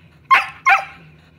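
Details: Two quick, sharp barks from a Sheltie, one of the pets Bella and Beetle pressing to play ball, the second bark slightly longer with a trailing tail, against quiet indoor hum.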